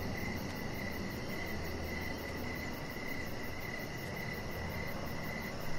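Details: Crickets chirping outdoors in the evening beside a deck, short even chirps repeating about twice a second at a steady pitch over a soft broadband hiss and low rumble.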